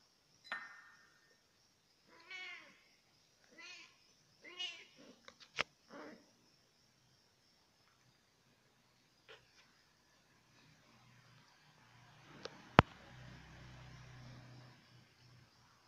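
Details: F1 leopard cat hybrid (kucing hutan F1) playing with its drinking water: four short, harmonic meows in the first five seconds, then clicks and sharp taps, a sudden loud crack, and a low rumbling hum near the end.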